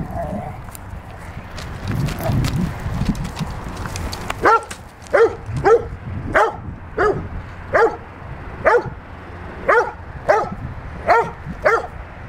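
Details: A Rottweiler during training, barking on command: after a spoken cue and some early noise, a run of loud, evenly spaced single barks, roughly one every half second to second.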